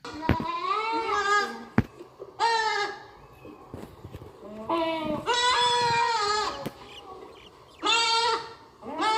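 Goats bleating in loud, quavering, nasal bursts, each lasting about a second, with short pauses between.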